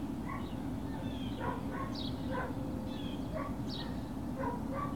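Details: Great Dane puppies at Puppy Hill, recorded 21 March 2019. Short high yips and squeaky whimpers come every half second or so, some rising and falling, over a steady low hum.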